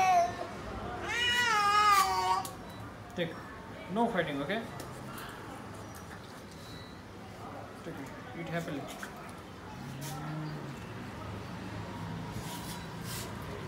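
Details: Cat being fed alongside another cat, one of them stealing the other's food, gives a loud drawn-out rising-falling meow, then shorter wavering cries; a person's speech and background noise run throughout.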